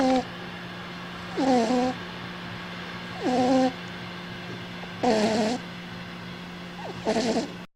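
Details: A cat snoring in a steady rhythm: four squeaky, downward-bending whistled breaths roughly every two seconds, with some breathy noise and a constant low hum behind them.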